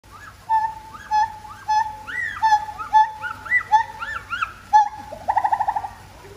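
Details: A black gibbon at Singapore Zoo calls with clear hooting notes and rising whoops, ending in a quick bubbling twitter.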